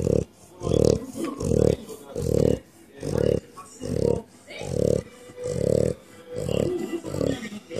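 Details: Female French bulldog asleep with eyes rolled back to the whites, snoring steadily: low, rasping snorts repeated roughly every 0.8 seconds, about ten in a row, evenly paced with brief quiet gaps between breaths.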